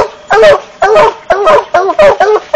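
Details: Black and Tan Coonhound voicing a series of loud, rough, ringing barks, roughly two per second, each note dropping slightly in pitch, close and intense.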